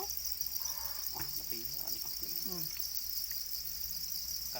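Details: Black crickets, the domesticated Para cricket, chirping together as a continuous shrill buzzing band, unbroken and even, while scattered bits of soft human speech and clicks come and go in the background.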